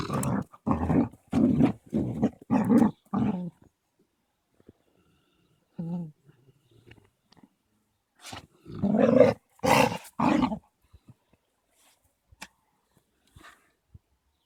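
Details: Play-fighting on 13.02.16 between Caucasian Shepherd puppy Amy, a three-month-old female, and Balu, a 21-month-old male: a rapid run of gruff growling bursts, a quiet spell, then another loud cluster of snarly growls before fading to faint scuffles.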